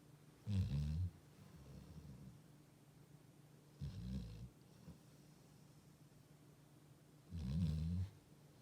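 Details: Labrador Retriever asleep, giving three deep, rumbling snores spaced several seconds apart, each lasting under a second, with soft breathing between them and little background noise.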